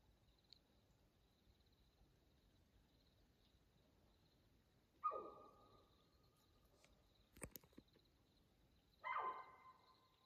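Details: Mountain lion calling at 2:15 a.m. on June 7, 2024, on Houston Bros Trail in Arizona's Coconino National Forest. After quiet, two loud harsh cries come about four seconds apart. Each is rich in overtones and trails off downward, with a brief snap between them.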